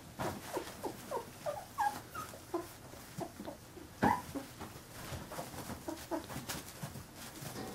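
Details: Young Carolina Dog puppies, 15 days old, giving scattered brief squeaks and whimpers, roughly one every second, with a single louder yelp partway through and soft shuffling between calls.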